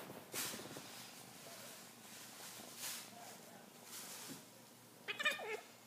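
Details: F3 jungle cat hybrid kittens, a brother and sister, wrestling together; soft scuffling and breathy rustling bursts, then a brief, strained, harmonic meow-like cry near the end.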